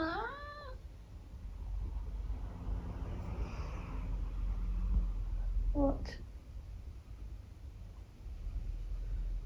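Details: Tabby cat making conversational vocalizations: a short, bright meow bending upward and down at the start, then a low murmur and a few faint clicks in an otherwise quiet room.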